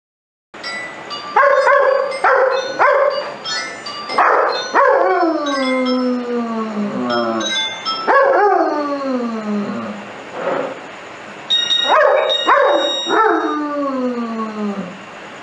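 A German Shepherd howls in response to music, each howl a drawn-out, quavering note that starts high and sinks lower. The howls come in a run of several, separated by short yips and breaths.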